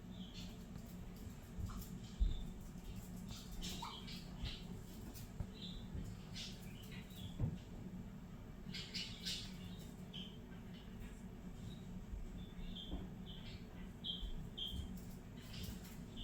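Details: Pet guinea pig Fiddy exploring during free-roam floor time, chutting and wheeking happily in response to whistling: many small, quick high squeaks and clicks spread irregularly across the recording, with soft rustling and low room hum underneath.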